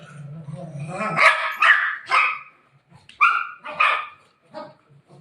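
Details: A golden retriever at play with family members, giving low growly sounds before a series of sharp barks, some yelping, spaced unevenly, with a woman's voice faintly between them.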